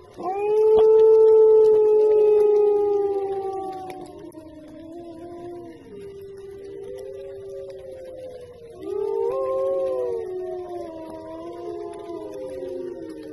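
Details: Wolf howls: a loud long steady howl at the start easing downward, then quieter wavering howls and a rising, bending howl near nine seconds, several voices seeming to overlap.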